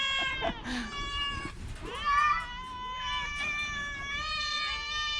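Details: A sickly orange cat with a cough and cold lets out a long, sustained meow that climbs then levels into a steady whine, preceded by shorter cries and a brief voice.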